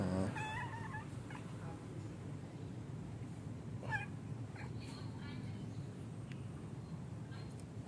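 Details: Cat playing outdoors in a park, where it plays every day, producing a couple of quick wavering meows in the first second and another around four seconds, with a continuous low drone beneath.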